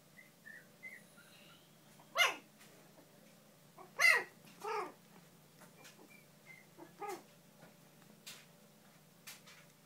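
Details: Bichon and shih poo dogs, pups with parents, indoors; a few sharp yips and short barks stand out against quiet, with faint high whimpers between them.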